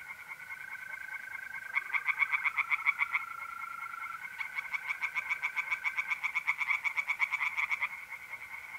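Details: Night chorus of tree frogs in a pond in North-East Italy, mid-April: fast rattling croak series in bursts, overlapping callers, over a steady high trilling of mole crickets.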